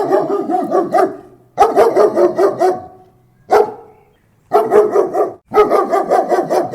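A German Shepherd barks close up in rough, rapid bursts separated by short pauses.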